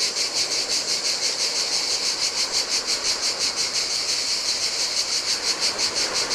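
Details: Hot-weather cicada song from a deserted Greek island beach on the Adriatic sea: loud, high-pitched continuous buzzing, rhythmically pulsing roughly three times per second, with low rushing surf underneath.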